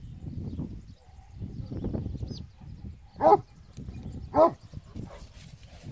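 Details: Traditional Spanish Mastiff, the transhumance droving breed, gives two loud, deep barks about a second apart, following a stretch of quieter low rumbling sounds in the background.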